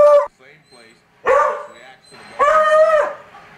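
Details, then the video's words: Domestic dog barking at the TV as Barry Bonds comes up to bat. A short burst opens the recording, followed by two strong, drawn-out barks about a second apart, with faint background sounds in between. "My Dog Ollie Barks at Barry Bonds"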